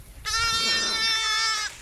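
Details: Young Garole lamb, five or six days old and still only drinking milk rather than eating grass, gives one sustained, strained bleat lasting about one and a half seconds, steady and richly harmonic, with a man talking nearby.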